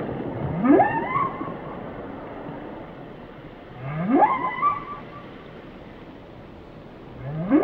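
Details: Whale song of three similar phrases, each a sharp rising whoop climbing from deep to high pitch and ending in a short wavering tone, repeated about every three and a half seconds over faint sea noise.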